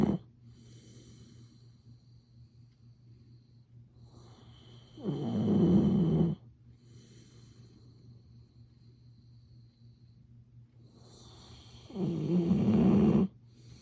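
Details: Golden Retriever named Ibuki sleeping indoors, snoring noisily and persistently while recorded up close on a smartphone; two loud, rough, low rumbling snores about seven seconds apart, with quiet breathing between them.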